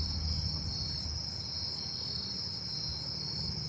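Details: Columbian trigs in a tree full of them give a steady, high, shimmering trill as a chorus over low traffic rumble in a neighbourhood.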